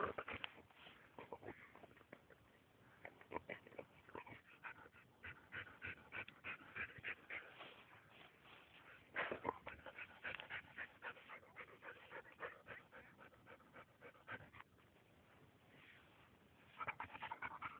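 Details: Samoyed digging for mice: rapid, rough, breathy puffs and snorting sniffs in a fast stream, with a brief thin whine in places and a short quiet pause before the puffing resumes.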